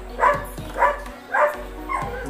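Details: Labrador Retriever named Liza on her first birthday, one year old; four short barks spaced about half a second apart, the last one softer, with faint music in the background.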